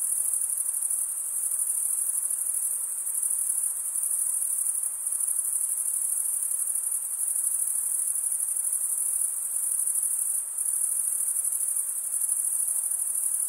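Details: An unbroken high trill of cricket stridulation, mainly from males, fills the recording. It has a rapid shimmer and small regular dips in loudness. No other animals, voices or music can be heard.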